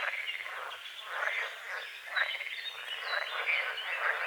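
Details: Dawn chorus of frogs at a small forest-edge lake among calamus and water lilies; many overlapping harsh, rattling croaks rise and fall in loose waves, with a few thin bird chirps above.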